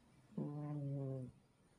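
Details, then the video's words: Shusha, a pet cat, snoring: a single low, droning, buzzy breath held steady for just under a second, then quiet. "Шуша храпит!"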